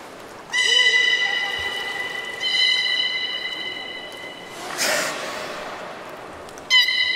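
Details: Captive belugas at Port of Nagoya Public Aquarium during the leftover-fish feeding session, 13 May 2017: long steady whistles with stacked overtones, one at about 0.5 s lasting nearly two seconds, another near 2.5 s, a brief noisy burst near 5 s, a short final whistle.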